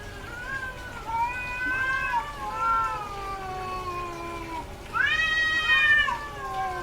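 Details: Female domestic cat in heat, calling more often during estrus: long drawn-out wavering meows with rich harmonics, one sliding downward over several seconds, then a louder rising yowl after a short pause.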